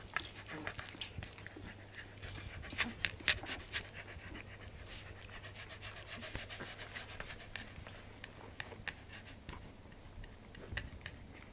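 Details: Newborn Welsh corgi puppies nursing on their mother's milk: a quiet stream of rapid, irregular wet clicks and smacks, roughly two per second, mixed with soft panting breaths over a steady low electrical hum.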